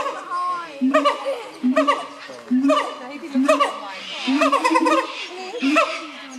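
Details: A siamang gibbon, a species of the forests of Malaysia, Thailand and Sumatra, gives loud, harmonic barking calls in rapid bursts, each with a quick upward swoop.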